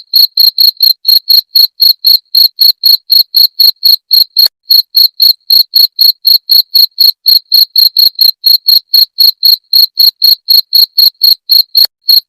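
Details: Cricket sound played to drive away rats: loud, shrill, high-pitched chirps repeated steadily about four times a second, each pulse sharp and even, with no other sounds.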